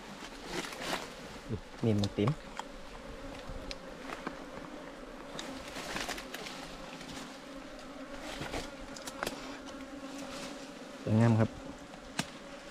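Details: A colony of wild ground bees nesting under the ground, disturbed during a honey harvest. Low constant humming fills the background, broken by scattered taps and two loud thuds.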